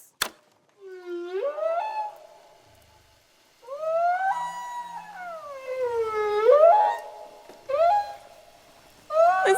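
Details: Humpback whale song recorded underwater, sounds said to travel hundreds of miles: long moaning whoops that sweep up and slide down, four or five drawn-out tonal phrases separated by short silent gaps.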